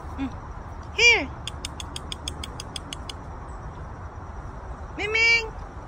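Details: Ginger cat Gingeroo outdoors on a windy day before a storm: two clear arched meows, one near the start and one near the end, separated by a run of sharp evenly spaced ticking sounds, with a person talking and wind noise throughout.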